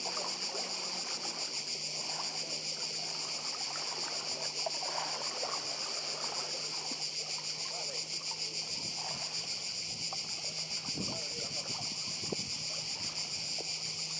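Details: A steady wall of high cicada buzzing on Badija island, Croatia, next to the sea, unchanging throughout, with soft lapping water, a low hum and occasional light knocks beneath it.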